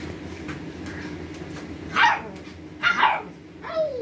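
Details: A pug howling like a wolf gives three short, yowling howls, each sliding downward in pitch, about a second apart.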